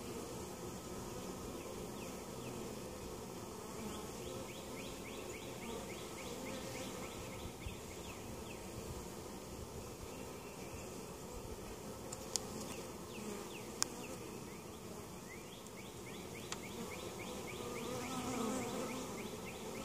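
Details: Steady low drone of a honey bee colony at a hive in Mt. Perry, Ohio, opened for inspection and varroa mite treatment; even hum throughout with scattered faint rising chirps and a few sharp clicks.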